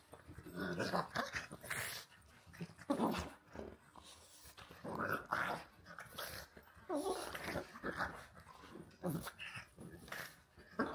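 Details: Play-wrestling between a pug named Walter and a husky named Rhett Butler: quieter, gravelly growls and snorts rise and fall in uneven bouts of roughly one to two seconds, with scuffling between them, recorded indoors.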